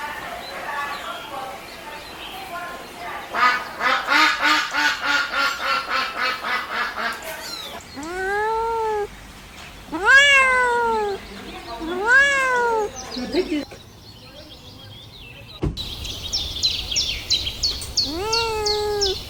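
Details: Kittens asking for their mother's milk while crawling around: after a stretch of rapid pulsed rustling and chatter, four arched meows come in quick succession, then a few higher squeaky cries near the end.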